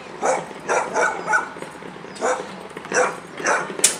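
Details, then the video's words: Pit Bull going wild, giving a rapid series of about seven loud, harsh barks in four seconds, some doubled, with short pauses between bursts. "Pitbull rastet aus"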